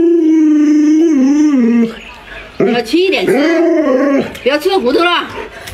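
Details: Alaskan Malamute Luoluo, a pet dog indoors, reacting to its owner wearing a mask: a steady tonal howl held about two seconds with a slight fall, then shorter wavering, rising-and-falling yodel-like calls, with background voices.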